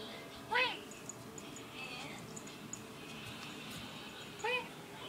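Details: A moody black and white cat indoors gives two short arched, harmonic meows, one near the start and another about four seconds later, with a quiet room hiss and faint clicks between them.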